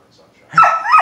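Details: Doberman Pinscher at feeding time, with an older female slowly eating her food beside seven-month-old Luna. A short, high yip swells into a brief whine with two quick pitch bends. Human voices are heard around it.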